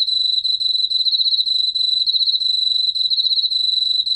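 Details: Korean field cricket song from the National Institute of Biological Resources, 2020: an unbroken, bright, high trill of rapid pulses running the full four seconds at an even pitch and loudness.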